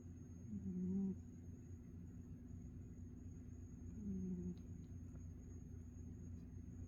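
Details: Ninjan, a pet cat, snoring while asleep: two soft, low, droning snore breaths about three seconds apart, each lasting roughly half a second, over a quiet indoor background with a faint steady hum.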